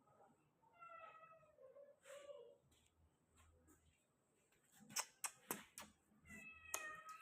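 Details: White Persian kitten giving two thin, high meows with stacked overtones, one near the start and one near the end, separated by sharp clicks and taps over a faint background hiss.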